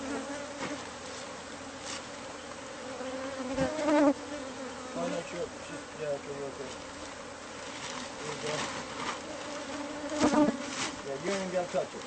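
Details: Steady insect drone from a bee colony nesting inside the walls of a home, recorded during its removal. Sustained humming bands carry on throughout, with occasional knocks and short voice-like sounds at about four and ten seconds.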